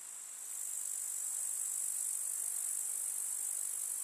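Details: Grasshoppers in a summer countryside meadow: after a quiet half-second start, a bright, very high, continuous crackling buzz rises and holds evenly to the end.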